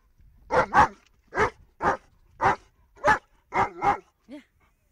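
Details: A German Shepherd reacts to a car horn, whose noise it cannot stand, with loud, harsh barks, often in quick pairs, ending with a brief whine.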